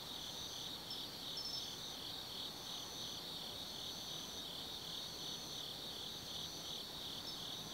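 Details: Forest insects calling on an autumn night at Tsukimi no Mori in Gifu Prefecture, Japan, 180 m above the Nobi Plain; dense continuous high trills with intermittent higher pulsing phrases and little other sound.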